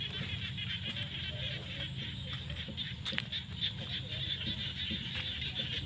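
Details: A dense chorus of frogs in fields at sunset during the rainy season trills and croaks together in a steady, pulsing wash of sound.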